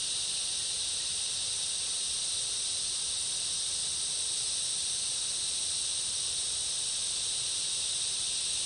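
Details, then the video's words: Summer rainforest insects with cicadas in full chorus: a continuous, even, piercing hiss-like drone in two stacked high bands, steady in loudness from start to finish. "Summer rainforest ambience, cicada chorus and other insects"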